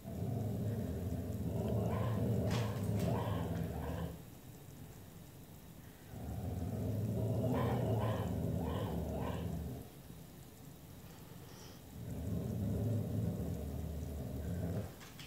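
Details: A dog growling at raccoons gives three sustained deep, throaty bouts of about four seconds each, low and grating with brief harsher edges, separated by quiet gaps; dog.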